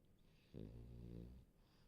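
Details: A French Bulldog snoring in its sleep gives one low, droning, buzzy snore of about a second in a quiet room.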